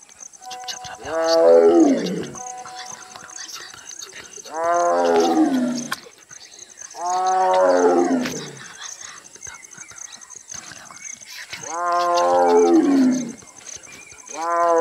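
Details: Tigress in Kanha National Park, Madhya Pradesh, gives deep, moaning calls that fall in pitch, repeated every few seconds to summon her cubs.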